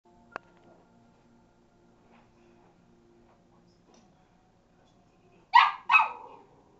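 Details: Molly, a pet Cavalier King Charles Spaniel, back-chatting at home: after several seconds of near quiet, two sharp yapping barks in quick succession close the clip, with faint indoor hum beneath.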